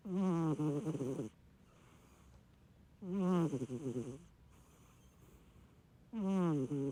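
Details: Sleeping Munchkin cat snoring like a middle-aged man while dozing peacefully indoors; three low, buzzy, rasping snores about three seconds apart, each lasting just over a second, with quiet pauses between.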